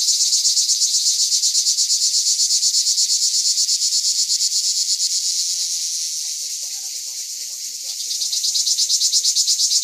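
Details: High, sizzling cicada (cigale de pin) song, Rivesaltes 2013, in evenly pulsed buzzing that softens briefly near the middle before surging back. Faint short chirps from other creatures sound in the background.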